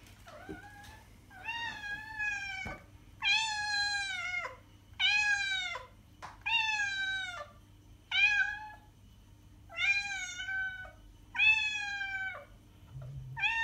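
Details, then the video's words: Domestic cat meowing to attract other cats: a series of eight harmonic, slightly falling meows, each about one second long, repeated roughly every one and a half seconds, with a faint steady hum underneath. "miauende katze sound um die Katzen anzulocken"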